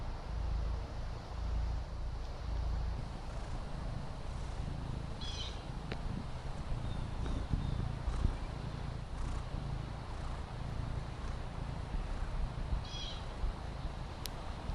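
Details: Fendi, a Maine Coon kitten, relaxes on the patio with a soft, continuous low purr rumbling steadily throughout, while brief high chirps sound faintly in the background.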